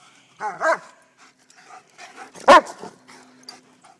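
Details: White German Shepherd playing at the park: a pair of whiny, rising-and-falling yelping barks, followed by a single sharp, loud bark and faint softer sounds in quiet open air.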